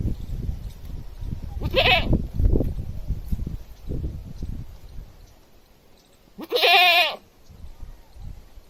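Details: Village goat screaming: two loud, wavering, nasal bleats about five seconds apart, the second longer and stronger, with low thuds and rumbling handling noise between them.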